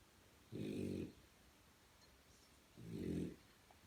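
A French Bulldog puppy snores in two rough, rumbling breaths about two seconds apart.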